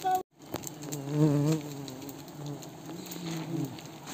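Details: Himalayan cliff honey bees (mountain bees) swarm during honey harvesting by villagers at Wui village. Their dense, low droning buzz wavers in pitch and swells to a peak near the middle, then steadies, after a brief dropout at the start.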